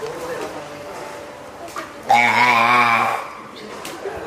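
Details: Loud, one-second bleating wail, rich in harmonics, from a hand-reared female spotted seal pup born 19 April at Oga Aquarium, recorded 9 May 2017 while calling her keeper, hungry or wanting to get ashore; faint talk around it.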